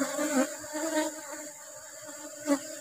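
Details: Asian honey bees (Apis cerana) at a colony during honey harvest in rubber-tree flowering season: a steady, low droning hum with layered tones, broken by two short knocks of hive handling.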